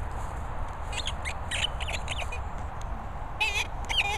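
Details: Molly, a Staffordshire Bull Terrier, giving a few high thin squeaks with wavering pitch, clustered near the end, against constant low rumbling background noise.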